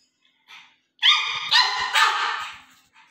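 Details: A pug puppy named Juju vocalises beside a duck. A soft yip is followed by a drawn-out, high, harmonic whining bark that rises and wavers in three pulses before fading.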